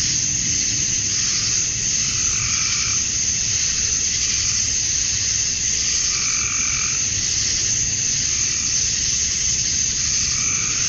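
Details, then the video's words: Summer-night cicadas in Georgia, USA, the males chirping to draw females: an unbroken, hissing high drone, overlaid by a mid-pitched pulsing call recurring roughly every two seconds. "Cicadas at Dusk, Summer Night"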